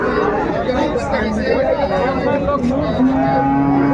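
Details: Bull and heifer calves at a Mymensingh cattle market in Bangladesh, January 2025; several wavering lows overlap, ending in a long, level, low-pitched moo held for about a second, with murmuring voices throughout.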